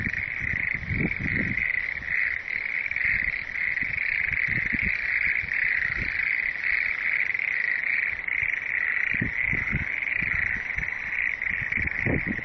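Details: Frog chorus: a dense, unbroken trilling band of many overlapping callers, steady throughout, with scattered low thumps and rustles beneath.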